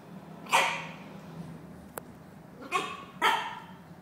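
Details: Abbey, a grumpy dog, barking during play with Winston: three short, sharp barks at about half a second, two and three-quarter seconds and three and a quarter seconds, with a brief click between them.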